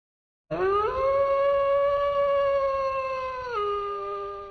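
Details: A pet dog, given a dried pig-snout snack, lets out a long sustained howl that rises briefly, holds steady for about three seconds, then drops in pitch and fades, followed by a person's voice.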